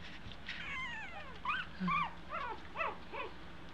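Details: Two-week-old Eskie puppies learning to walk utter a quick series of short, arched squeaking whimpers, roughly two per second, some slurring downward, over a low room hum.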